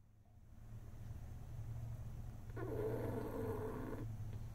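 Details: A male French Bulldog sleeping in a truck during the school pickup snores, a low, steady rumble with one longer, raspy breath.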